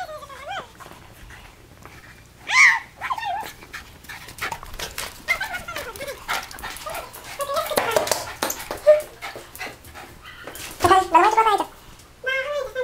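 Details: Alaskan Malamute playing in the snow with its owner, giving drawn-out, wavering woo-like whines and yowls that rise and fall in pitch, scattered through the clip, mixed with a person talking and rustling.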